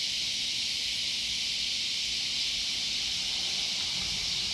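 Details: Loud cicadas in a sunflower garden, a flat, steady buzzing wash with a faint higher ticking at the very start.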